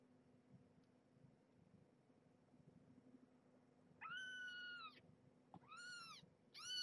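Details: Domestic cat family, mother Marge, a former pregnant stray, with her nursing kittens at a weigh-in and feeding time indoors; after quiet room hum, three high, clear, drawn-out mews, the first long and steady, the later two arching, in quick succession.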